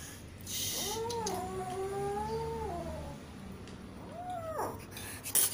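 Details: Cat rescued out of a canal utters a long, drawn-out wavering meow lasting about two seconds, then a shorter rising-falling one, wanting food or attention; steady low hum and faint noises underneath.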